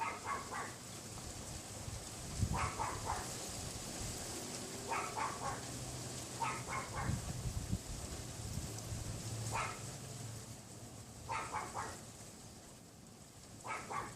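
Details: Neighbour's Pomeranian dogs yapping unseen behind a wooden privacy fence on a windy February afternoon, about 3:18 PM: quick bursts of three to four sharp, high yaps every two seconds or so, over steady wind rush and low rumble.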